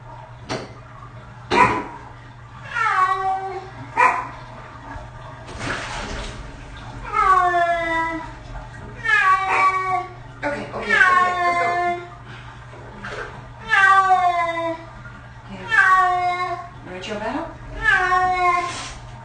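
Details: Six-year-old cat getting its first bath: a rapid series of short, complaining meows, about ten in twenty seconds, some rising then dropping, mixed with splashes, knocks and handling noises.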